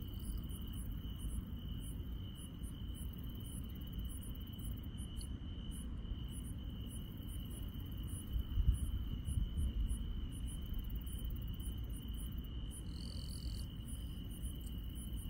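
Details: Insects chirping through a countryside night: a steady, unbroken high trill runs the whole time, with fainter, sharper ticking pulses above it, over a constant low rumble.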